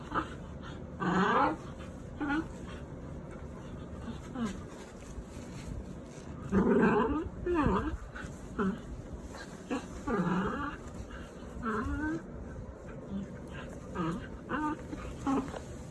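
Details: Pet dogs during their bedtime routine at home, tagged golden retriever, Pomeranian and aspin; short whining, curving whimpers come in bursts every second or two, mixed with a person talking softly throughout.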